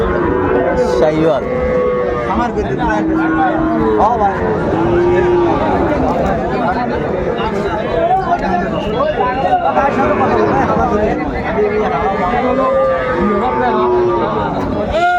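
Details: Sahiwal cattle at a crowded livestock market in Cumilla, Bangladesh, late December 2024, while bulls are priced and sold. Repeated low, sliding moos, some short and some drawn out, sound over dense human chatter and background noise.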